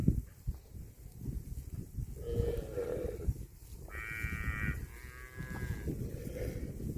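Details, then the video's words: Cattle grazing on grass: a low, brief moo a little past two seconds, followed by a louder, higher drawn-out moo around four to six seconds, with constant low rustling and chewing noise beneath. "CUTE AND FUNNY COW SOUND EATING GRASS COMPILATION - COW MOOING"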